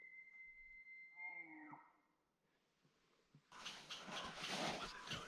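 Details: Elk bugling during a morning archery hunt in Wyoming in 2021: a long, high whistled tone held for about two seconds that breaks into lower, falling notes, then a pause, followed by loud rustling noise.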